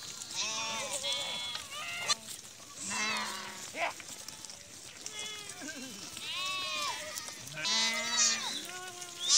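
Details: Sheep brought from Rukum East return from grazing in the forest to their shed in Musikot, Rukum West, Nepal; many overlapping wavering bleats, high and low, fill the whole stretch, with a voice briefly heard.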